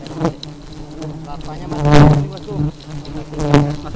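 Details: Aggressive honey bees produce a loud, low droning buzz with a steady pitch and rich overtones, swelling into two strong surges around the second and three-and-a-half-second marks as bees zoom right by.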